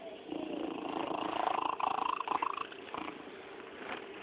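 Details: Domestic cat named Yakuza chirping indoors, with short rising trilled chirps packed into a quick run in the middle, then a quieter rustling tail; muffled phone-quality sound.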